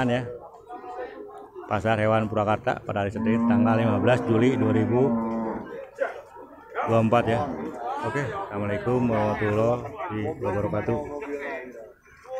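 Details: Beef cattle at the Purwakarta livestock market on Monday, 15 July 2024, give long, deep, drawn-out moos, one lasting several seconds and another following after a short pause, over a busy market background.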